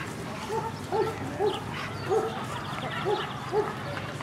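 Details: German Shorthaired Pointer at the Erie Shores Kennel Club, All Pointing Breed Field Dog Club event, June 5 2015, gives rapid repeated high yipping barks, roughly two per second, clear over faint outdoor background and distant voices.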